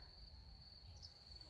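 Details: A cricket sings in the evening after rain in early spring, a steady, high, unbroken trill over a low background rumble.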